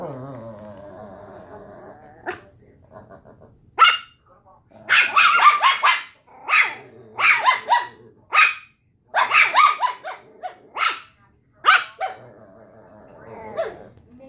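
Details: Puppies arguing, high yappy barks and growly yips in uneven bursts after a soft whining start, pauses of near silence between volleys.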